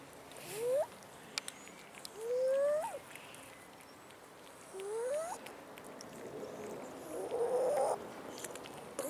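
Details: Abandoned cats, four seen, wandering a city park in the hometown and begging for food: three clear rising meows, each sliding upward, spaced about two and a half seconds apart, then a rougher, noisier sound near the end.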